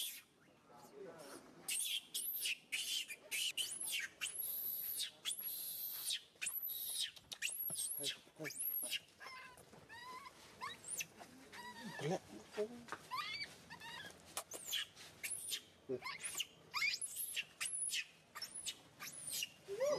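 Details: Hurt baby monkey SUCA, grabbed by SUSAN, crying loudly: a dense run of short shrill squeals and sharp rising-falling yelps, repeated in quick succession over many seconds.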